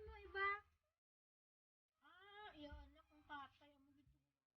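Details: Little kittens meowing indoors: a short harmonic mew, then after a pause a longer run of wavering, slightly falling mews with low background murmur.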